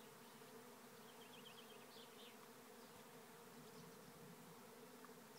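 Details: In Tipperary, Ireland, a swarm of bees pours into a trap hive at Lisballyard, producing a thick constant hum of countless wings while a small bird twitters briefly in the background.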